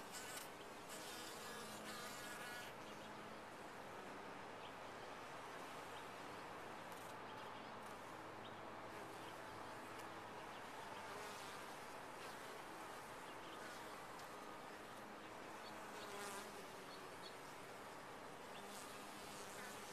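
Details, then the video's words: Colony of bees in a top-bar hive giving a continuous low, many-voiced drone, with brief louder passes of individual wingbeats and faint ticking knocks. "Bees in a topbar hive"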